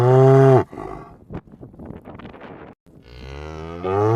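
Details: Deep cow moo cutting off at the start, a stretch of soft rustling, then another low moo rising in loudness as a roaming cow calls again.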